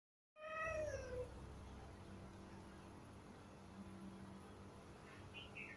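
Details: A cat gives a single clear, falling meow near the start, then a steady low hum with a faint squeak near the end.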